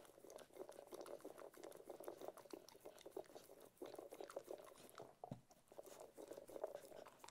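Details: Steady, wet-sounding chewing from Ted the Cocker Spaniel as he eats, a continuous patter of quick smacking bites with one brief dip midway.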